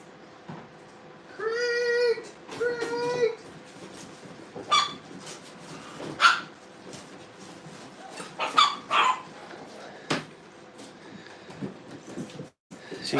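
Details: Brittany puppies at playtime in a training kennel, being introduced to a crate: two drawn-out, high, tonal whines near the start, then scattered knocks, clatter and rustling from the pups moving about.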